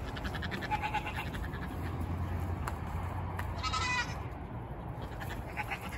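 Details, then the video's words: Nigerian miniature goats calling impatiently as they wait for their wheat supplement at feeding time. A few short, faint bleats stand out near the start and middle against a constant low background hum. "Yelling goats. Nigerian miniature goats screaming for dinner"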